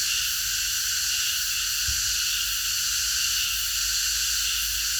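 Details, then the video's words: Cicadas in chorus at night in a park, a dense, unbroken high-pitched shimmering buzz holding steady throughout with no pauses. "매미들의합창 밤어느공원에서"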